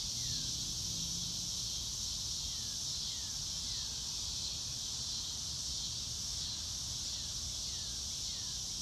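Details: Crickets under a blue sky on a fair day, captured in real time without music: an unbroken high buzzy pulsing chorus, plus several faint falling whistles scattered across the clip and a low rumble.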